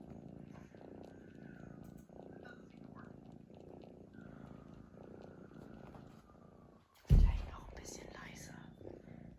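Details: Snoring from a sleeping cat, a soft, low, grainy rumble pulsing with each breath for several seconds, then a sudden loud bump and rustle.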